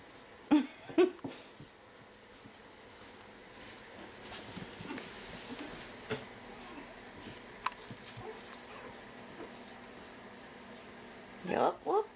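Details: Five-week-old Pekingese puppies playing in their pen after breakfast; short yelps and squeaky whimpers come in bursts near the start and again at the end, with quiet shuffling and a human voice between.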